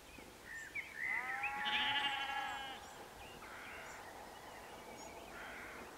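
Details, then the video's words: A single drawn-out, trembling bleat from one of several sheep gathered at sunset at Canons Ashby, West Northamptonshire, UK, with faint birdsong and soft outdoor ambience around it. "Sheep at Canons Ashby"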